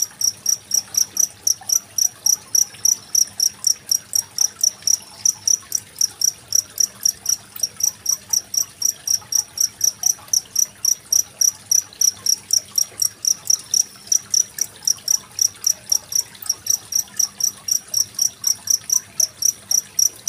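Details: Cricket chirping, a masteran sound made on 25 February 2023 to teach singing contest birds; sharp, piercing pulses keep an even beat of roughly four per second throughout, with quiet flowing water in the background.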